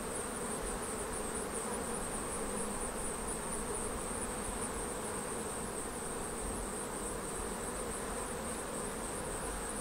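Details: Honey bees at a Flow Hive during its first honey extraction, with honey removed frame by frame without killing or stressing the bees; a dense, steady buzzing fills the whole stretch, with a constant thin high whine above it.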